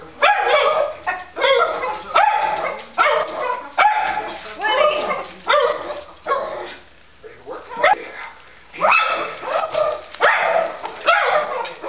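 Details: Pet Schnauzer named Woody, worked up by dogs and other animals shown on TV, letting out bursts of high yappy barks about once a second, broken by a short pause, over television chatter.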